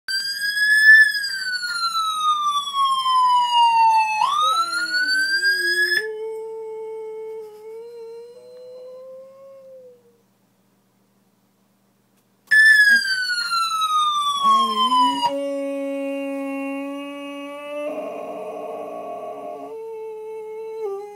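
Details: A Boxer dog howls in long, drawn-out, downward-sliding wails, trying to imitate a passing ambulance siren.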